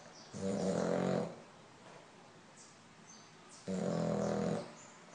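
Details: Sleeping French Bulldog Lolla gives two raspy, rumbling snores about three seconds apart, each roughly a second long, with soft quiet stretches in between.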